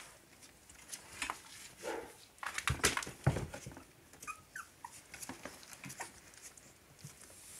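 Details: Three-week-old Cavalier King Charles Spaniel puppies give thin, wavering whimpers and short squeals amid shuffling and scratching. A pair of clearer whined notes rises and falls midway.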